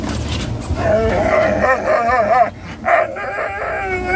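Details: Excited dogs in a car headed to PetSmart, including a Norwegian Elkhound mix that whines and howls when thrilled, giving long warbling, wavering howl-whines that dip and rise, with short pauses and engine hum beneath.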